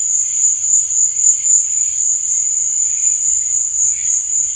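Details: Night crickets trilling without pause, one shrill, high band holding steady while quieter wavering chirps rise and fall below it, with a faint low hum.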